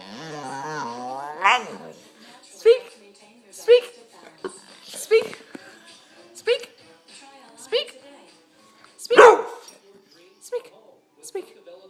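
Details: Boxer and pit bull mix dog told to speak, answering with short yowling, whiny barks and groans roughly once a second, each followed by a person repeatedly saying "speak"; a longer wavering howl-like moan opens the sequence.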